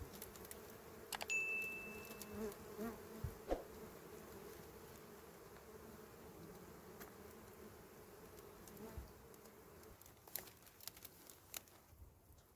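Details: Steady collective droning of small wild honey bees at a nest in dry berry twigs during honey harvesting, with a brief thin whistle early on and frequent clicks and rustles throughout.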